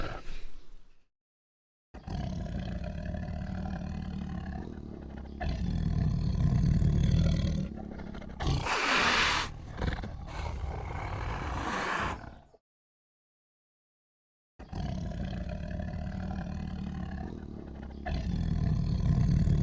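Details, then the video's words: Lion giving heavy, drawn-out roars with strong low-pitched rumbling, swelling and fading in long phrases separated by short silences, with a brief noisy burst in the middle. "AMAZING SOUND TIGER LION AND CHILD II SUARA SINGA HARIMAU DAN KELUARGA"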